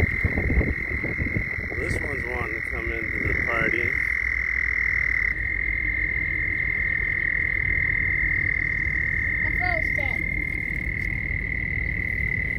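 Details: Frogs during mating give a steady high trilling drone throughout, with a few short warbling rising calls lower down near the start and again around ten seconds, plus low rumbling noise early on.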